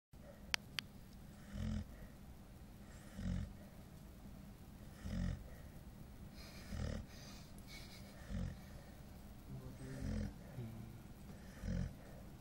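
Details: A 9-month-old female Golden Retriever, very tired, snores in steady, rumbling breaths about every second and a half.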